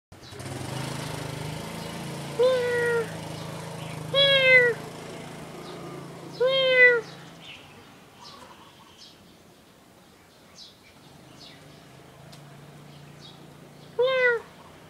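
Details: Mang Mang, a six-year-old female pet cat, on a lazy day, gives four drawn-out, slightly falling meows spaced a few seconds apart over a steady low hum.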